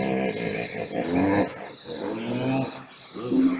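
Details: Hippopotamus honking above water, said to sound like deep laughter: three deep, harmonic, wheezy bursts roughly a second apart, each rising and falling, in a slightly roomy, compressed recording.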